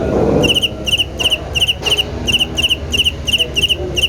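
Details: Cricket chirping rhythmically, each chirp a quick burst of three or four high, bright pulses, repeated about three times per second at a steady pace over a low rumbling background that is louder at the start.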